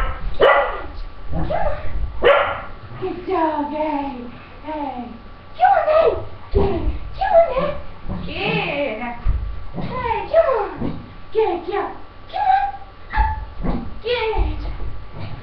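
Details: Pippa, a five-year-old female English Cocker Spaniel, barks and yelps while over-excited during jump training, jumping at her owner; bursts of sharp falling yelps and barks recur throughout, mixed with a person's encouraging voice and footsteps.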